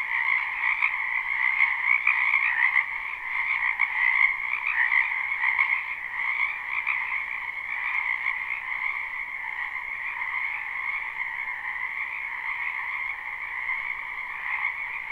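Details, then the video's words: Live spring recording of many wetland frogs: continuous trilled croaking in two stacked bands, slightly louder early on and then settling to a steady, softer drone of overlapping calls. "Ambient Noise for Sleep Frogs"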